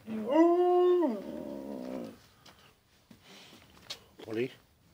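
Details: A husky named Molly lets out a strong, rising then level harmonic howl that fades into a lower grumbling growl-like tone, then quiet room sounds and a brief short yip near the end.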